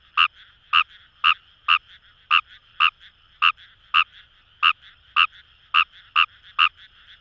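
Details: Wild Kawamura's rice frog calling in paddy fields along the Kamo River, Itoshima, Fukuoka, Japan: short, sharp croaks at about two per second, around fourteen in a row, over a steady trilling chorus of more frogs behind.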